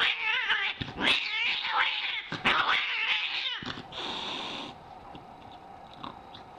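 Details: Angry domestic cat giving loud, wavering caterwauls for about three and a half seconds, drawn-out harmonic yowls rising and falling, with short clicks and a brief hissy noise burst before the sound fades to quiet.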